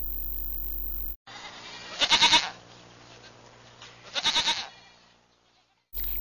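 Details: Domestic goat bleating twice, about two seconds apart, each bleat a short, tremulous, pulsing cry rich in harmonics, with brief snatches of other sound at the very start and end.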